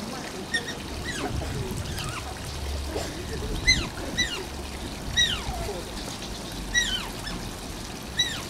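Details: A captive Asian small-clawed otter at Oji Zoo, Japan gives thin, high squeaky whines that slide downward, repeated about every second or two, near the zoo's closing time.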